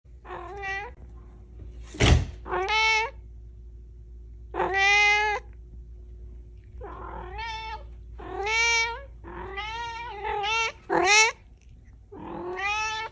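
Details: A talkative pet cat indoors meowing repeatedly in a chatty series: drawn-out, harmonic meows with rising and falling pitch, some short and some long, separated by brief pauses, with one sharp click partway through.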